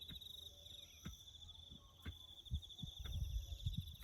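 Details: Crickets chirping in the bush during farm work on a road: a continuous high, finely pulsed trill with fainter higher trilling layers runs throughout, over scattered low thuds and knocks from the work.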